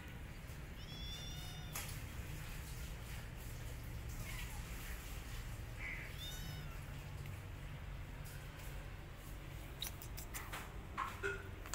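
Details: A mother cat licking and grooming her own kittens, then attacking an orphan kitten she realises is not hers. Two short, high, wavering meows sound several seconds apart, with scattered clicks and knocks and a steady low hum throughout.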